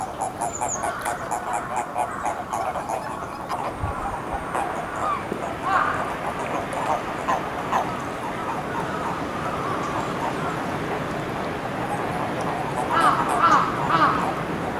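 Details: Eastern Japanese common toads, described as endangered, at the Magatama pond of Hakodate Hachimangu shrine on 2 May 2017: a run of pulsed, mid-pitched croaks repeated in quick succession, with short high bird chirps near the end.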